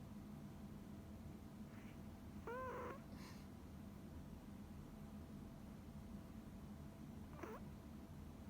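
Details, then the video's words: Tiny deaf female Pomeranian named Coconut snoring in her sleep indoors: two brief squeaky, whistling snores with a nasal harmonic wobble, one early and one near the end, over a quiet room hum. "Snoring Pomeranian Coconut"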